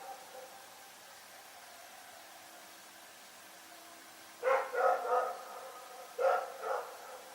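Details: Rex, a dog, barking at night: after a few seconds of steady low hum, a quick run of three sharp barks, then a pause and two more barks.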